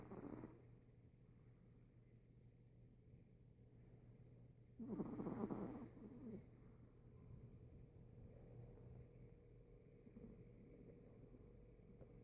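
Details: Sleeping Chihuahua recorded on 26 September 2014, snoring: faint rough breaths at first, then one loud, harsh snorting breath midway, followed by softer raspy breathing over a steady low electrical hum.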